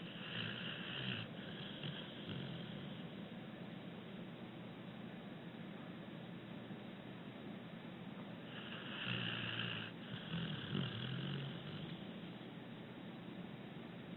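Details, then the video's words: Abbie, a six-year-old rescued female American Pit Bull Terrier, asleep and breathing gently; soft breathy snores come in a short burst early on, then a louder, longer stretch of rasping snores near the end over a steady low hiss. "Pit Bull Snoring Gently"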